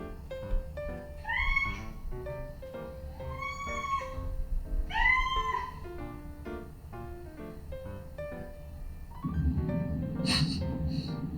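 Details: Recorded meows of pet cats replayed to the pair of female house cats, a Scottish Fold and a Munchkin, while together: three rising-then-falling mewing calls spaced about two seconds apart over light instrumental music, then a burst of rustling noise.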